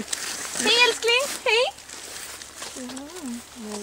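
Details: Socialized wolf from a pack at Kolmården zoo, the biggest and very curious one, greeting a visitor with jumps and licks; a few rising-falling whining yelps, then a lower wavering whine, with a person's voice nearby.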